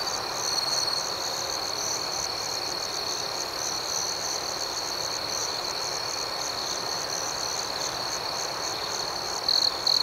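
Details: Crickets in a tranquil nighttime setting produce a steady, high, shrill trill that fills the whole stretch, ending with a short louder burst of quick chirps.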